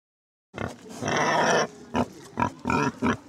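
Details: A wild boar encountered in the Schönbuch nature park near Tübingen, Germany, gives a long, harsh snorting grunt, then a string of short, gruff grunts.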